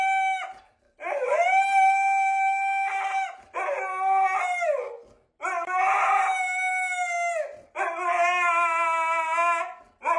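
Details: Husky 'singing' in a series of drawn-out howls, each about two seconds long, separated by short breaths. The tone stays level with slight bends and wavers. The voice is clear and close, with no background noise.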